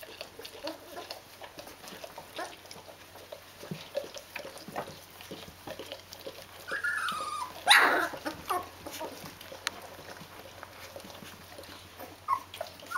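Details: Two-week-old Rhodesian Ridgeback puppies of a D-litter, with their mother: soft rustling and faint whimpers, one clear sliding whine midway, then a loud squeal followed by quieter cries.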